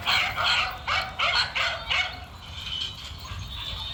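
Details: Male dog barking while running: about five sharp, high barks in the first two seconds, then quieter with only faint yelps and a steady background hum.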